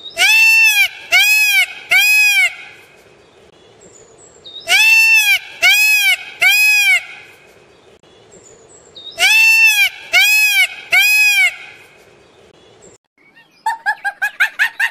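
A goat gives high, quavering bleats in sets of three, each set repeated every few seconds.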